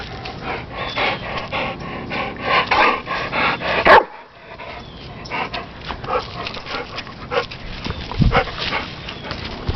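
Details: A very protective pet dog named Bruiser in a backyard, playing as an orange is thrown for him, gives a run of quick, rough barks and yips, broken by a sharp knock, while a person talks nearby.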